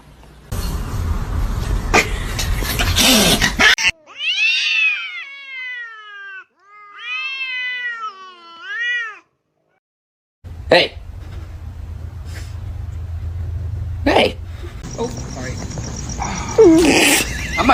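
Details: Cat calling in a quick run of high, arching, wavering meows, about five seconds of repeated rising-and-falling cries, between loud rustling, thumps and background noise.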